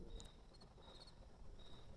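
Crickets give faint, high chirps in short bursts over a steady low rumble.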